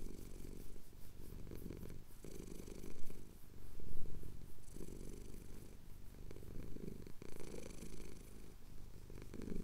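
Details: Purring male house cat enjoying a chin scratch during sunrise in the Cotswolds, Tascam DR-07X recording; long low rumble with rhythmic inhale-exhale swells, briefly louder around the middle.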